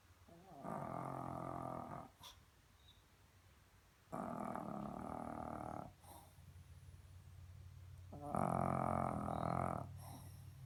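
A Shih Tzu snores steadily, each rough, buzzing breath lasting close to two seconds. The drawn-out rasps come at an even pace, with a low, quiet hum between them.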